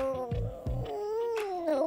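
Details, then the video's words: Male Chihuahua living at a dog hotel, vocalizing while receiving a head massage: a sustained, wavering moan-like whine that dips and rises again, with a couple of soft low thumps early on. "Amazing Talking Chihuahua Ecstatic Head Massage"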